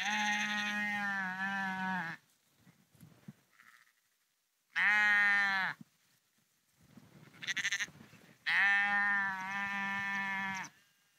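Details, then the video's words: Flock of sheep walking along a dike, the Porrenkoogdeich near Husum, Nordfriesland; three long harmonic bleats a few seconds apart, with fainter short bleats and rustling in the gaps. "Sheep Walking Husum Porrenkoogdeich"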